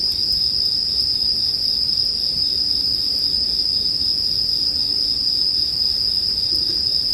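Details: High sustained shimmer of bell cricket song, steady and unvarying, with a few faint clicks and a brief low hum in the background, part of a bonfire soundscape for sleep.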